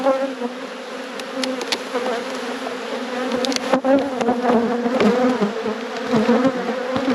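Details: Buzzing of a honey bee colony during an apiary inspection. Thick, unbroken hum of many bees with a strong low tone and ringing overtones, surging slightly, with a few faint ticks over it.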